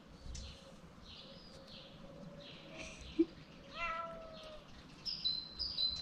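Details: Ginger cat, one of two that live together, biting a finger gently; a short falling meow partway through, with faint bird chirps and higher whistled bird notes near the end.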